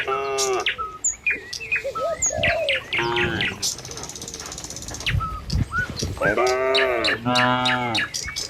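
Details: Herd of tame cattle crossing a village road on the way to the pen in the morning. Several short and long lowing moos come one after another, mixed with frequent chirping birds and light hoof sounds.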